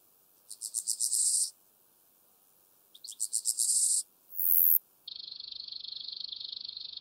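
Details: Steppe grasshopper singing at Mörnsheim, Germany, on 27 July 2018. Two phrases of about one second each are made of rapid, rasping pulses that grow louder. A brief high tone and a steady, even buzz follow.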